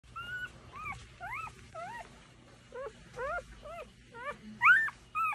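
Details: Newborn Goldendoodle puppies, eyes still shut, in a litter with their mother, squeaking in a run of thin, curling squeals that rise and fall in quick bursts.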